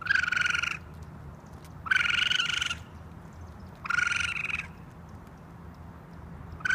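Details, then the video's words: Raccoon calling in short, harsh, buzzy bursts with a strong nasal tone, three bursts each under a second long, spaced about two seconds apart, over a steady low hum. "Raccoon sounds, raccoon noises"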